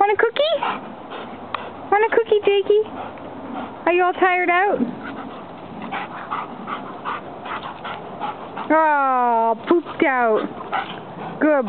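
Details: Giant Schnauzer-Boxer cross dog in a backyard after a burst of wild energy. Bursts of harmonic whining and yelping with rising and falling pitch, including one long descending whine. A person talks to the dog between the calls.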